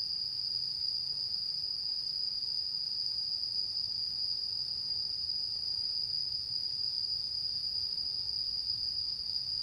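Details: A high, sustained insect trill fills this autumn night of the mid-autumn full moon, 10 September 2022, droning without pause at a constant pitch above a quiet low hum.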